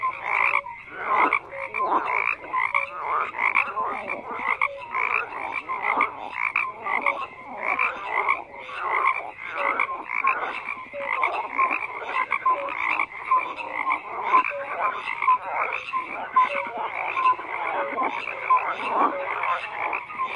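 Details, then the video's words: Many frogs croaking together in a dense, continuous chorus, overlapping pulsed croaks and short rising notes packed between mid and high pitch, with no pauses for the whole stretch. "FROGS CROAKING"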